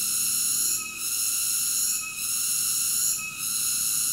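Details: High, harsh cicada drone with rich layered tones, easing briefly about once a second before returning to full strength, with nothing else audible.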